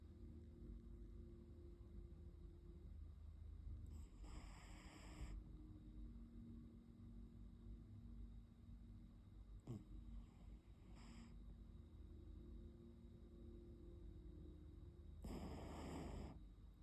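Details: Neo, a Brazilian Terrier, asleep and snoring; quiet low rasping breaths over a constant hum, broken by airy exhaled hisses at roughly eleven-second intervals.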